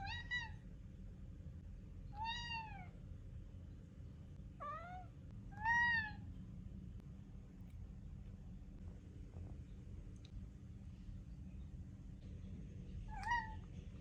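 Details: Male pet cat meowing persistently at mealtime, demanding food and not stopping until fed: several clear, downward-curving meows spaced a few seconds apart, then a pause and one more meow, over a steady low indoor hum.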